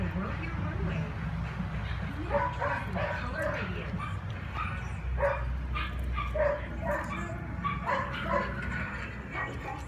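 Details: Four-month-old male puppy at home, playing and fighting with a big bone; short high yips and barks come in quick bursts, mixed with whimpers, a person talking and chewing or scuffling noises.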